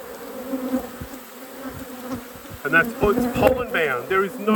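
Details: Honey bee hive during an apiary inspection: an even low buzzing drone fills the first half, then a person begins talking over the continuing hum.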